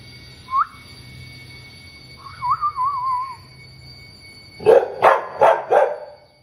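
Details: Dusky, a white female Labrador Retriever, being over-dramatic in a conversation with her owner: a short rising whine, then a wavering whistle-like moan, followed by four quick rough barks in a burst near the end.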